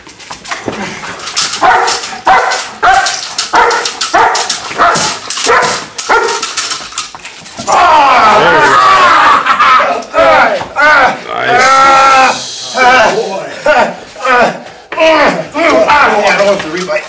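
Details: Bucca, a German Shepherd stud dog, in a bite work demonstration: repeated rough barks and yelping bursts mixed with a man's voice giving commands, plus loud rustling and handling noise.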